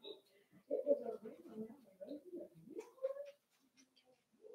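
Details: Puppy whining from a litter of five-week-old Cavalier King Charles Spaniels in Daisy's puppy pen: a near-continuous run of wavering, nasal whines that rise and fall, ending in a higher sustained cry, then faint short yelps.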